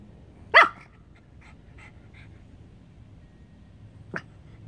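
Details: Pomeranian, recorded July 26, 2021, barking at the air: one strong, short bark with faint trailing yaps, then a quieter clipped bark near the end over low background hum.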